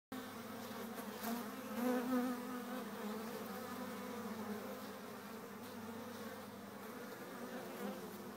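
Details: Honey bees in April, a steady low droning hum of hive activity with layered buzzing tones, gently swelling around the second second and otherwise continuous.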